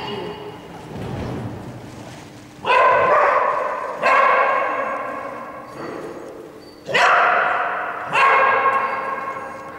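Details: Border Collie barking during a perfect agility run at an agility seminar in Tallinn, Estonia, on 3 April 2011: four loud, sharp barks at uneven intervals of one to three seconds, with faint background murmur between them.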